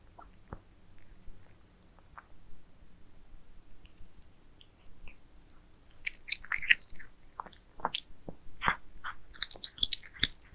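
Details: Pet cats eat towers of minced meat in a quiet room: a few isolated bites at first, then from midway a steady run of moist chewing, licking and crunchy bites.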